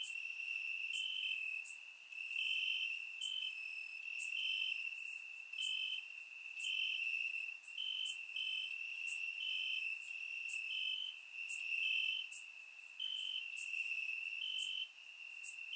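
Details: Summer night in Bulgaria with crickets in the grass, captured by a surround microphone: a dense shrill trill and steady rhythmic chirps near four per second, punctuated by sharp high clicks.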